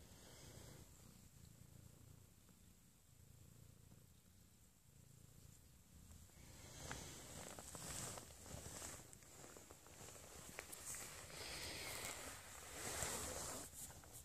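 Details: Pet Abyssinian cat snuggling with its owner in the morning, indoors in a small room. Near-silence for the first few seconds, then a steady, rapidly pulsing, low rumbling purr rising in loudness and continuing to the end.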